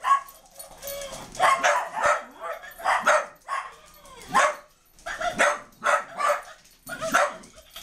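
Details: Dogs set upon a puppy, giving a tight series of rough, noisy barks and growling snarls in uneven clusters, with brief quiet gaps between bursts.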